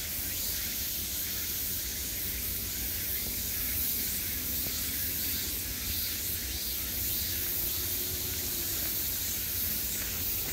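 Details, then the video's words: Many cicadas in summer make an unbroken, airy, hiss-like buzz that rises and falls only slightly in loudness over a soft low hum. "매미소리를 들으며 휴식. Cicadas's buzzing sound"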